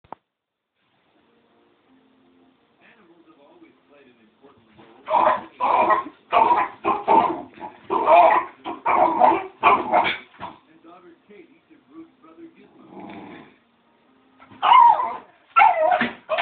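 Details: Pet dog barking wildly at cats shown on TV: a quiet start, then a burst of about eight loud, sharp barks over five seconds, a pause with a low murmur, and three more barks at the end.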